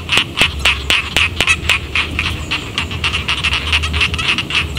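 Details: Rice field frogs calling around a village, a dense chorus of sharp, clicky croaks that overlap at roughly four per second, with a steady low hum underneath.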